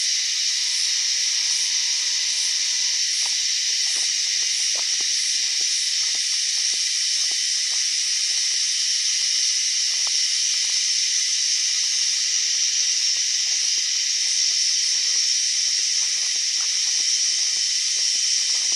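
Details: Unusual cicada sound, an even, unbroken shrill hiss-like buzz, with a faint pulsing high tone and brief low hum at the start and many soft clicks scattered throughout.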